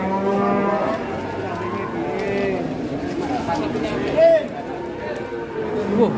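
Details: Giant fattened cattle arriving in a group: a long, deep harmonic moo opens the recording, with a second lower bellow near the middle and another rising moo at the end, over steady crowd murmur and faint voices.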